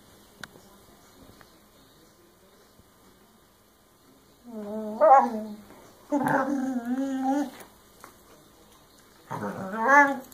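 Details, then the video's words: Puppy throwing a tantrum indoors over another dog's chew, with toys scattered on the floor: three bursts of loud, wavering, high whining howls, each about a second long, after several seconds of near silence. "Scooby Throws a Puppy Tantrum"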